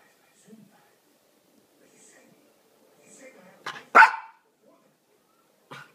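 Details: Cooper, a male pet Miniature Pinscher, begging to play with his laser toy, something he does almost every evening: soft low whimpers, then a quick pair of sharp barks near the middle, the second loudest, and one brief bark at the end.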